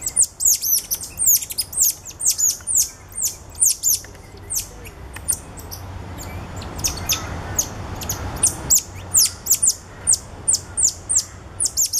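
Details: Cotton-top tamarins with two ten-day-old babies carried by the father, filmed at Alma Park Zoo in November 2013; bursts of piercing, descending chirps, a quieter stretch mid-way with rumbling background noise, then the quick chirping resumes.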